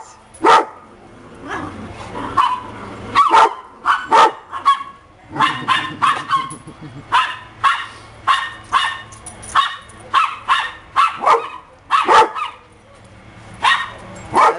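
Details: Happy pups barking steadily in rapid, closely packed bursts that continue almost without pause.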